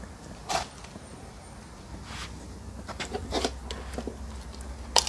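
A young hyena crunches on bones with sharp, irregular cracking and gnawing sounds.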